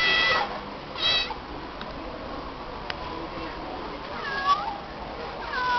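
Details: A stray female cat meowing in response to being called by name; a short harmonic meow near the start, another around one second, then fainter falling meows later, over a steady background hiss.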